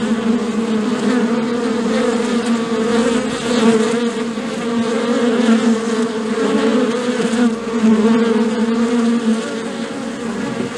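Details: Loud humming of bees, a sustained close buzz with two clear wavering drone bands and rich overtones, steady for the whole stretch with small loudness swells.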